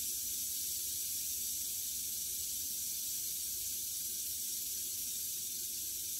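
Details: Western diamondback rattlesnake, freshly shed about three days earlier, rattling while it kills a mouse in captivity: an unbroken, level, hissing buzz, with quiet speech afterwards.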